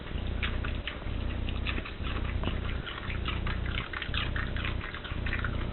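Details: A dog eating a cabbage core crunches and chews noisily, with sharp wet crackles over a steady low hum.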